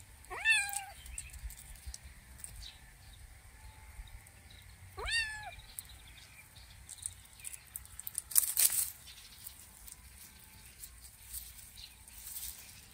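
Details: Two clear, bent meows from Kitten John, the adventurous kitten, spaced about five seconds apart, followed by a short burst of rustling noise, with faint bird chirps throughout.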